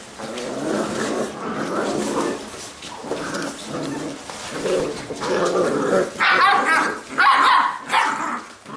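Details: Playing Labrador retriever puppies of a B litter, growling steadily in low rumbling bouts, then breaking into sharp high barks and yips near the end, about one call every second.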